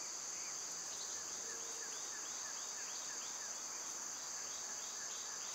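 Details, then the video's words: Cicadas in summer, loud at this time of year, form a steady high, hissing drone that runs unbroken through the clip, while faint short downslurred bird chirps repeat along underneath. "Birds & Squirrels w/ Cicada sounds"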